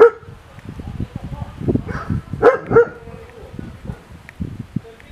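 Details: Caucasian shepherd male barking twice, a pair of loud, gruff barks about a third of a second apart, amid murmuring voices and handling noise.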